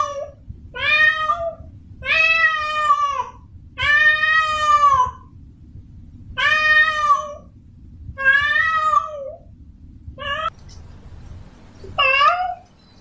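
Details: Domestic cat, a female in heat, calling a male to mate. She gives a series of wailing meows, each around a second long, repeated roughly every two seconds with irregular spacing. A faint low hum sits underneath.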